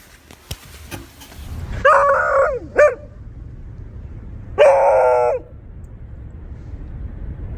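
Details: Honey the Beagle gives two harmonic baying yelps, the first about half a second with a short follow-up note, the second near one second and wavering, over a quiet indoor background with a few clicks before.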